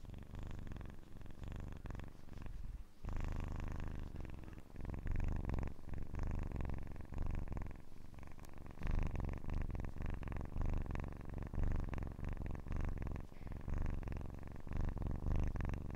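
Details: Kitten purring indoors for relaxation listening, a low continuous rumble with fast vibrating pulses, briefly dipping near the third second before resuming steadily; no other clear sounds.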